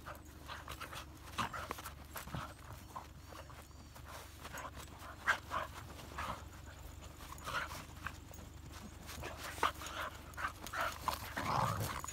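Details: At a dog run, a Hokkaido dog romps with an elderly 13-year-old female dog at New Year; scattered snorting growls and sharp bursts, busier and louder toward the end, with low background hum.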